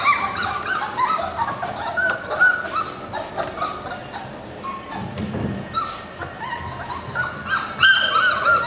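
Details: Litter of 4-week-old puppies born March 7, 2010, yelping and whimpering together in overlapping high, rising cries, several voices at once, with a brief lower rumble midway.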